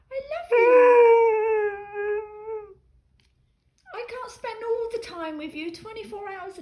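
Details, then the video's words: Dog complaining at its owner after being left alone for ten minutes, giving a sustained level whine, then a pause, followed by a series of shorter choppy yowls and grumbles. "Dog is fussing at owner about being left alone for ten minutes!"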